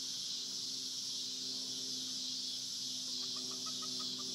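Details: A cicada on a farm gives a steady, high, hissing buzz that drones on without a break.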